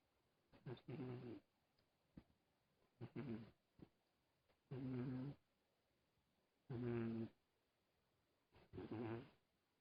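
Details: Sleeping cat snoring softly: rhythmic, raspy, buzzy breaths with low harmonic hum, roughly one snore every two seconds, five clear snores, with short faint catches between them and no other sounds.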